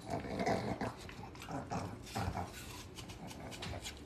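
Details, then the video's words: Pug dogs eating an apple indoors: low rumbling growls with soft harmonic tones under repeated crunchy chewing bursts, uneven bites every half second or so, in a small quiet room. "Dog eating ASMR apple - Pug dogs"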